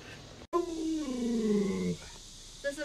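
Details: A pet Alaskan Malamute named Luoluo protests while its owner pretends to cook dog-meat hotpot. It gives one smooth, whining howl of about one and a half seconds that slides steadily downward, with a faint room hum behind it.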